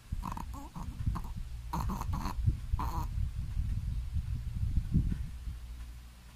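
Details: A sleeping Shih Tzu snoring very loudly: deep, rough, rumbling breaths in a steady rhythm, with a few brief higher snorting bursts near the start.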